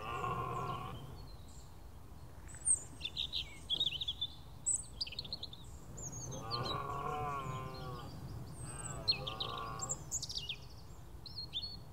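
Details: On a clear, misty morning, a large red deer stag gives deep, drawn-out roars that break the morning chorus of chirping, twittering small birds.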